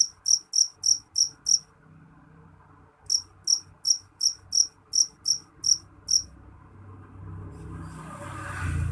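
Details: Loud, shrill chirps of a jeliteng cricket come in quick high pulses, stop for over a second, then resume in a run of about ten. Afterwards rising rustling noise takes over while the insect falls silent.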